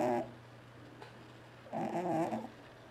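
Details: T-Jay, a pet cat, making noise while asleep: a brief harsh burst, a quiet pause of over a second, then a longer rasping, throaty sound with a steady low hum underneath, indoors.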